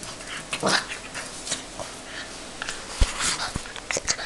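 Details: An angry French Bulldog puppy, a Bouledogue, growling and snarling in short rough bursts with brief sharp yelps, some breathy panting between outbursts.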